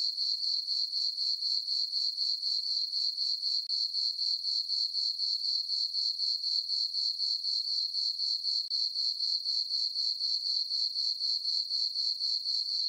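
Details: Crickets chirping on a summer night in a meadow on a farm under a full moon: a steady, high-pitched pulsing trill, about four chirps per second, unbroken throughout with no other sounds.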